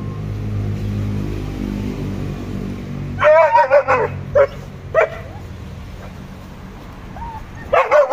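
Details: German Shepherd and Boxer pet dogs: after three seconds of low steady rumble, a burst of rapid yipping barks breaks out, then single barks at intervals and a final short flurry.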